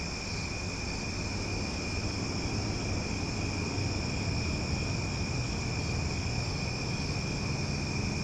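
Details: Cicadas singing loudly after dark in Omaha form a continuous, even drone of high buzzing bands that never pauses, with a stronger low rumble beneath.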